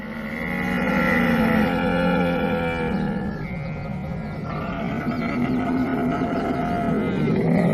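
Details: Camel giving a long, rough, groaning bellow with layered harmonics and a gurgling, rattling texture. The pitch shifts slowly over about eight seconds without a break.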